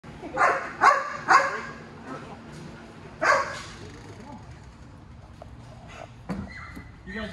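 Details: Malinois mix dog greeting its owner at a reunion after fifteen days of board-and-train, giving three quick sharp barks then another, followed by excited whines amid people talking nearby.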